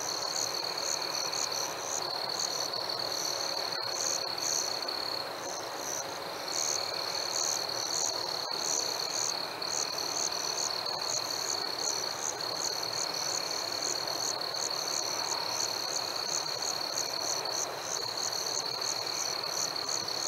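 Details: Night chorus of crickets on a warm summer evening with fireflies: a constant high trill runs underneath a second, even higher caller giving short regular chirps about twice a second, all through the recording.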